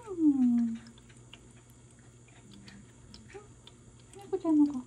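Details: Ragdoll kitten Jelly, seven months old, recovering at home from feline peritonitis after four days in hospital, gives a falling meow, then a shorter second meow about four seconds later, over a steady low indoor hum.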